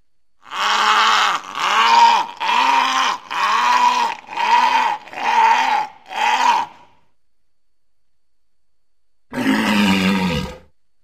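A walrus gives a run of hoarse, arching bellows, each about a second long, then a rougher, lower blast.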